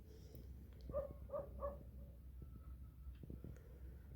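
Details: Short burst of three clipped mews from an orange cat, evenly spaced about a third of a second apart, with faint clicks and low household hum around them.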